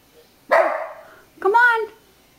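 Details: Household puggle reacting to a pug image on a beach towel with two barks, the first rough and noisy, the second higher and more tonal with a whining edge; a person is speaking nearby.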